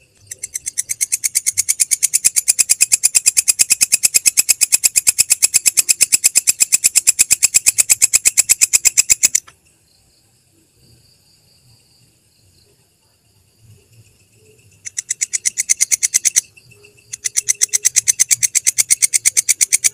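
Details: Belalang kecek grasshopper, used for training songbirds: a long, fast train of rasping pulses for about nine seconds, a silent gap with faint distant twitters, then two shorter bursts of the same clicking rhythm.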